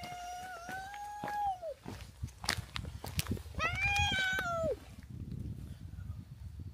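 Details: Stray cats that followed a person from a hilltop village down to a harbour in Japan, close to fighting with the harbour cat group: two long drawn-out wailing meows, level then falling, with clicks and outdoor noise.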